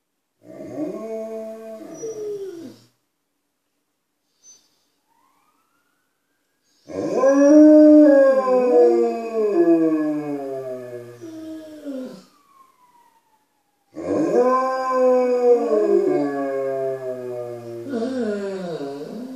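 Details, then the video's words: Inside a house, Malamutes Tuvaaq and Aanaga announce themselves to people outside with a short howl followed by two long wavering howls that bend up and down, overlapping voices near the ends. "Malamutes making their presence known"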